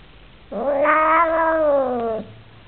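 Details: Oriental Shorthair cat, upset about a new housemate, gives one long, loud, steady yowl of about 1.7 seconds with rich harmonics, holding its pitch and falling slightly at the end; quiet room otherwise.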